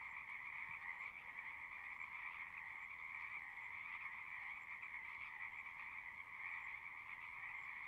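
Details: Pond frogs in a horse pasture singing together: an unbroken, even wall of rapid trilled croaks, many callers overlapping at similar pitch, steady loudness throughout, recorded with a Zoom device.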